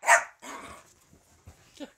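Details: Sherman, a miniature dachshund begging and crying for his nightly treats after bath time, gives one sharp bark followed by a rough, fading yelp and a soft whimper at the end, indoors.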